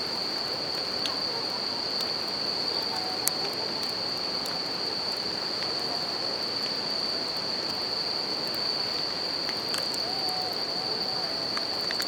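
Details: Bell crickets singing at night beside a campfire and river in nature: a steady, high, ringing tone holds unbroken throughout, over a broad rushing of river water and scattered crackles and pops from the fire.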